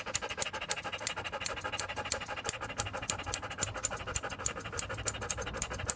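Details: Standard poodle Joe breathes hard with fast, airy pants, close to three a second, while being groomed at a dog and cat salon in Paris's 8th arrondissement; a faint low hum sits underneath.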